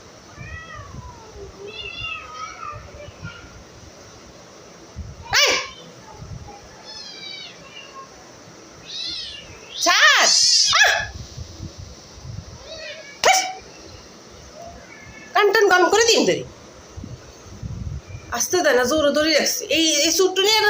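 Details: Indoor cat mewing amid frequent Bengali chatter, its cries short and rising-falling, a louder burst of meowing near the middle, plus sharp handling clicks and rustles.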